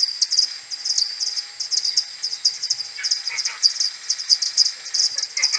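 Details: Slowed tenfold, an AudioMoth 1.1 recording of a common pipistrelle maternity colony coming back to the roost in the morning of 21 May: clustered, overlapping chirping pulses in uneven groups, with a few fainter lower chirps between.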